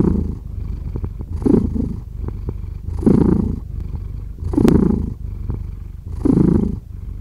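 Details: Cat purr with a constant low rumble, rising into stronger pulses about every one and a half seconds, four clear swells heard, close and quiet setting.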